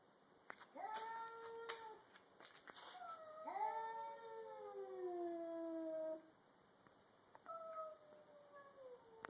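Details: Two cats, a grey-and-white stray and a black cat, squaring off in a garage before a fight: repeated long, tonal yowls, several seconds each, sliding downward and overlapping in alternating wails, with a few short bumps and knocks.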